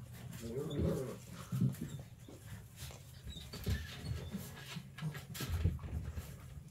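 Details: Syrup, a puppy at eight weeks, makes a brief whining yelp near the start, then low grunting snuffles and soft huffs through a quiet indoor background.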